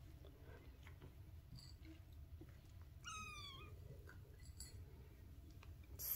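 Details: Three-week-old Bengal kittens from Luna and Apollo's fall 2021 litter: one high, thin, slightly wavering mew with rich harmonics, lasting about two-thirds of a second, set against soft indoor rustling and handling noises.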